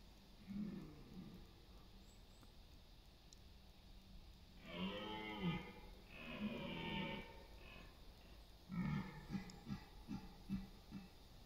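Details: Red deer stags bellowing during the autumn rut in East Serbia on September 28, competing for dominance and mates; a low roar, then a long groaning bellow, then a series of short pulsed grunts, over quiet forest background.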